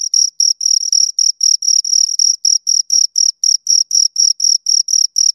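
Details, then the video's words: A pair of crickets chirp near the microphone: crisp, evenly spaced high trilled bursts, about four each second, each burst a short metallic rasp, in otherwise silent surroundings. "Two Crickets Chirp Sounds"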